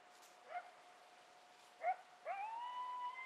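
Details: Coyotes in Palo Duro Canyon after dark on April 9, 2010, give two short, sliding yips, then a long howl that rises and holds steady.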